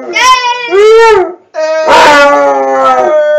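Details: Basset hound howling at close range: two drawn-out, tonal howls, the first rising then easing off, then a short break before a longer, steady, wavering howl that holds its pitch to the end.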